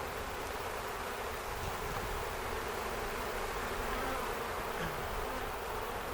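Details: Dense, unbroken drone of a swarming honey bee colony in Ontario, May 11, 2025, the bees settling into a box baited with used brood comb; many wingbeats blend into one even, rough hum with slight flickers in intensity.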